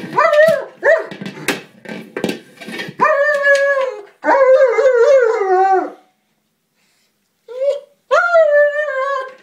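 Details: German Shepherd worked up over a small buoy he cannot puncture, letting out a run of high, howling whines about two per second, each steady then sagging, interrupted by sharp gnawing clicks and a brief silence.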